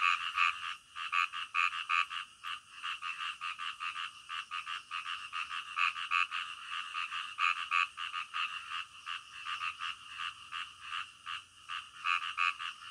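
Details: Frogs calling in the middle of the night: a dense chorus of rapid, nasal croaks, roughly three per second, overlapping unevenly with no other sounds.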